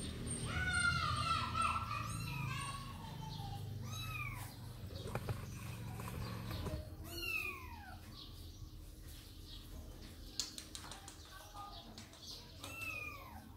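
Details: Little pet cats mewing: high, arching meows repeated in quick succession, several overlapping, over a steady low rumbling background.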